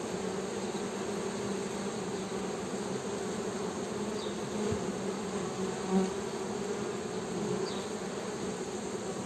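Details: Honey bee humming: a steady, dense low drone with two strong tones holding level throughout, a few soft knocks and faint high chirps far in the background.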